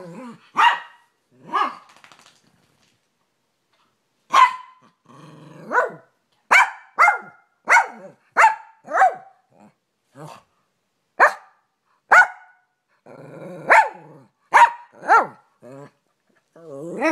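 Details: Rat Terrier and American Staffordshire Terrier/Pit Bull mix in a play fight: sharp, clipped barks and yips in quick irregular runs, mixed with short rough growls and brief quiet gaps.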